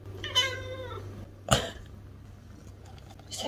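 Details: A male lynx point Siamese cat gives a soft, drawn-out meow with a slight falling tone to his owner, looking her directly in the eyes.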